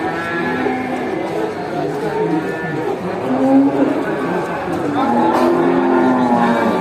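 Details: Village cattle herd returning to the barn after grazing, calling each other; a dense chorus of overlapping moos at differing pitches, with a few clearer lowing calls standing out near the middle and the end.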